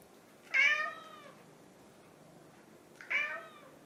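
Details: Indoor house cat, one of a ginger tabby and a silver tabby pair, repeatedly asking for food when hungry; two loud, bright, falling meows about two and a half seconds apart, otherwise quiet.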